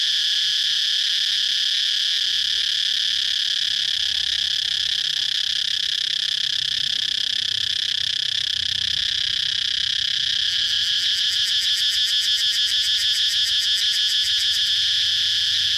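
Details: Cicada chirping as a sustained shrill drone, which in the last third breaks into fast, evenly pulsed rattling while the buzz continues.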